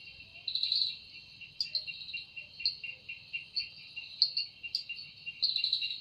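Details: Cicada calling in a forest at evening, the sound said to come from its wings: a steady shrill high buzz with swelling pulsed bursts about every second and brief sharp clicks above, several insects overlapping.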